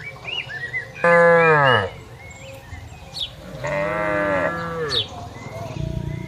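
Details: A herd of tame cattle wandering and grazing across a wide plantation give two drawn-out lowing moos, the first loud and falling at the end, the second softer, with faint bird whistles between them.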